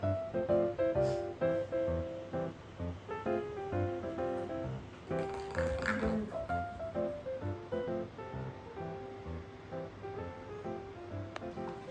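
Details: Only light instrumental background music with plucked, guitar-like tones plays throughout; no animal sound stands out.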